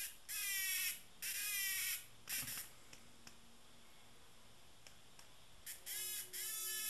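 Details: Tame cicada making two strong grating buzzes near the start and a short one after, then a quiet stretch with faint ticks before two more sustained buzzes close the recording.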